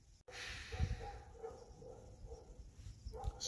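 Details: Domestic dogs, including a pit bull, barking up on the mountain for about an hour and a half; distant, faint barks repeat in a quick steady series over low rumbling background noise.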